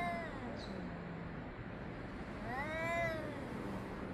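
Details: Cats exchanging yowls, 3 Av 5785, between 6:01 and 6:04 summer time; a quieter, distant-sounding wail that swells up and arcs back down in under a second, over a constant low hum and hiss.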